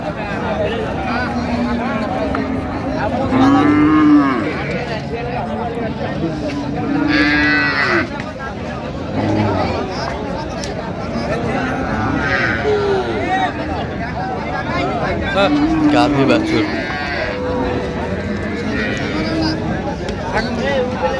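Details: Cows with calves being sold at Raniganj market, Dinajpur, 27 November 2025. Repeated deep, rounded moos rise and fall roughly every four to five seconds, several overlapping, with a murmur of buyers and sellers behind them.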